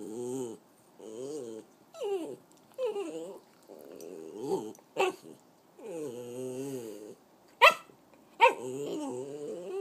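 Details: A 3-year-old female Italian Greyhound Chihuahua mix dog makes wavering, whiny yodels broken by a few sharp yips.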